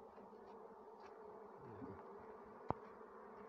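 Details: Bees foraging on rhododendron blossoms for nectar. A continuous low, droning hum runs throughout, with one sharp click partway through.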